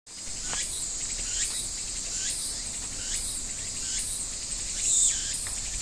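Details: Cicada singing: a dense, high buzzing drone with a pulsing rhythm, swelling into rising sweeps about every second, over a steady outdoor noise background.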